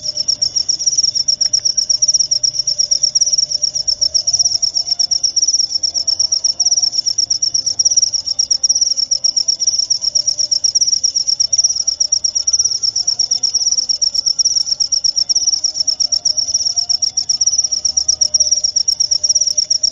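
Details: Continuous high cricket trill, pulsing quickly and steadily for the whole stretch, loud and clear with only faint low background murmur.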